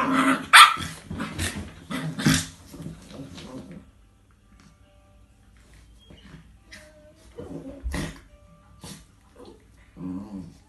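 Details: Coco, a 10-month-old Chinese Crested puppy, plays with Milo, a 9-year-old Jack Russell: a cluster of loud sharp barks and growls in the first four seconds, then quieter scattered yaps and rustling.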